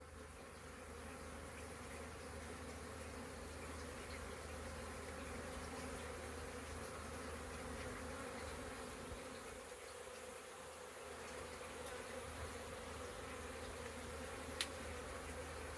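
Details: Hundreds of honey bees busy at a beehive on April 22nd, a steady dense hum with drifting pitch bands running throughout, no pauses, a faint click near the end.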